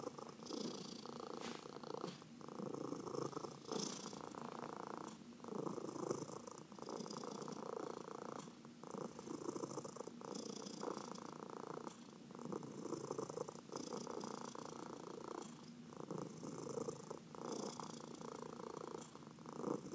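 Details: Domestic cats purring while being massaged, with four cats in the household including senior cats Heidi and Dinah. A steady, rumbling purr pulses continuously in a quiet indoor room.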